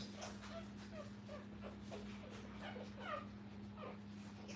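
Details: Puppies with their mother at a training kennel, filmed live: thin, high whimpering squeals, each sliding downward, come in scattered bursts several times a second over a steady low electrical hum, with faint voices in the background.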